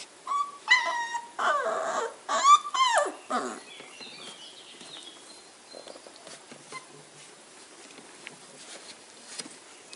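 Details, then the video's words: Flat-Coated Retriever puppies from a breeding kennel in the Rhône-Alpes region of France give a burst of high, sliding whimpers and yelps over the first four seconds, then fade to scattered soft squeaks amid quiet room noise. "Flat-Coated Retrievier Puppies"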